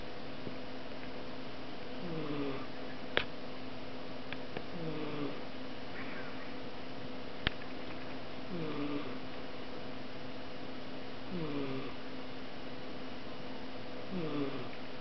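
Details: A female British Shorthair cat snores softly, each breath a low rasp repeating every few seconds.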